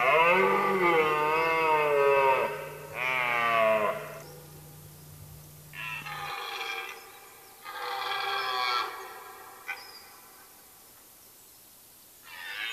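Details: Rutting red deer stag roaring during the rut in late September in the forests of Mecklenburg-Vorpommern, Germany: long, loud, harmonic-rich groaning bellows, the first two back to back, then further roars after pauses, with a low steady hum early on.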